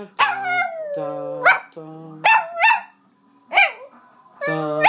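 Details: Pet Chihuahua singing along as a person sings the national anthem, trying to match the tune: high, wavering howls that rise and bend, alternating with the person's low, steady sung notes.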